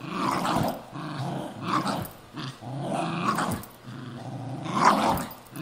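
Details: Two pet terriers, a Cairn and a Jack Russell, tussling over an old golf glove: deep, throaty growls rising and falling in four surges with brief pauses, about one surge every one to two seconds.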